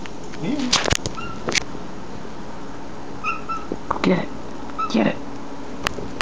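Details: Domestic cat named Mew, indoors, meowing while trying to reach a crane fly just out of reach; a few short, chirpy meows with rising and falling tones, mixed with a person's encouraging voice and faint high chirps.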